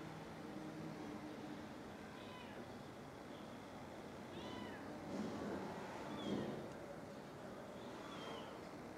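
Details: Distant stray mother cat after finding her kittens dead, recorded from far off with heavy zoom; several soft, wavering meows spaced a couple of seconds apart, half buried in constant broadband noise.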